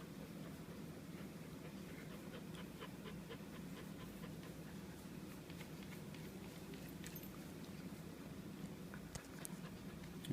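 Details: Dally, a three-month-old purebred female German Shepherd puppy, tired after coming back from a walk, pants in quick, soft, breathy bursts that stay steady through the stretch, with faint clicks and handling noise in the background.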